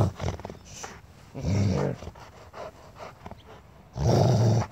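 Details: Barney, a Rhodesian Ridgeback, growls intently at his owner to keep him away from his toy; deep, rough growl bursts, two loud swells separated by quieter rumbling and handling noises.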